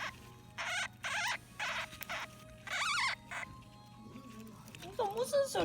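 A dwarf hamster gives bursts of high, wavering squeaks while defending its food.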